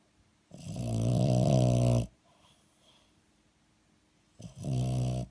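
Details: French Bulldog snoring while asleep: two long, loud, rasping rumbles with a low throaty buzz, each about one and a half seconds, separated by a quiet breathing gap.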